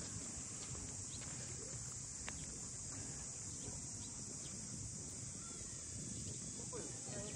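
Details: Steady high cicada drone during a walk through Ine no Funaya, north of Kyoto. Faint chirps from other birds and distant low murmuring voices come through under the insects.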